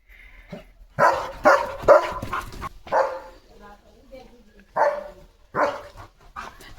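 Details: A German Shepherd named Leo makes a barking, running morning entry in his flower-filled yard. Several gruff barks come in close succession, then a pause, then two more bursts, while voices talk over them.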